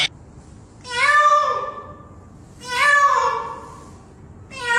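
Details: Domestic cat uttering repeated nasal meows, each swelling and fading over about a second, roughly every two seconds, with a third beginning at the end.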